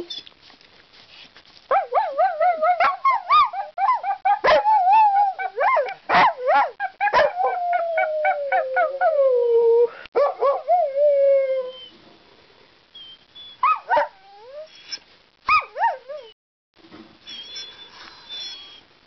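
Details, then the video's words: Ireland, a talkative dog, produces a rapid run of pulsing yodel-like howls that settle into a long descending moan, followed by quieter scattered yips and squeaks. "Ireland the Singing/Talking DOG"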